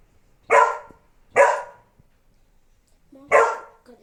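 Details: Domestic dog barking at itself in the mirror: three loud, harsh barks, the first two about a second apart, a longer gap before the third, in a quiet room.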